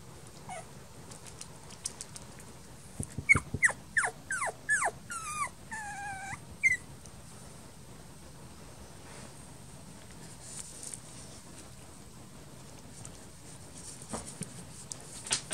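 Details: Puppy whimpering: a burst of about a dozen short, high, thin whines over four seconds, some falling and some bending up, then near silence with steady background hiss and occasional faint clicks.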